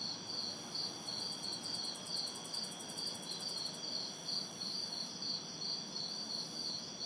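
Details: Summer night insect orchestra of crickets and cicadas, recorded in a city backyard in hot, humid weather; continuous high pulsed chirping in an even rhythm, an intermittent very high shrill buzz above, and soft distant traffic noise.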